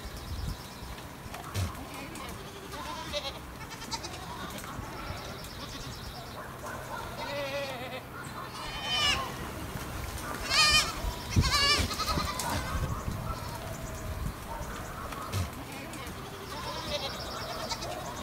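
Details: Stray goats on a hillside in Greece give quavering, nasal bleats, some short and some drawn out, several overlapping and rising and falling, clustered in a loud burst midway, over faint voices and outdoor murmur.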